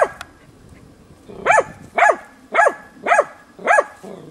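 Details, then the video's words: Hunting dog Tina holding young wild boar at bay in training, 6 March 2013; after a quiet start, five crisp barks follow about every half second. "TINA JANIORSKA odlicno goni i uporno oblajava d.nazimad"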